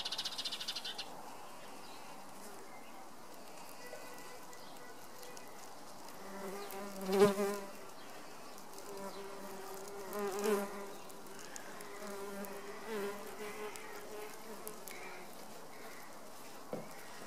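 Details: Leaf-cutter bee (Megachile) emerging from its cocoon in a nesting tube in a garden. Low droning buzz comes in short bursts, strongest mid-clip, with quiet gaps between and faint background hiss.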